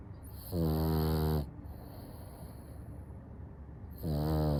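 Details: A French Bulldog snores with deep, rattling, buzzy breaths, two drawn-out snores separated by a quiet pause.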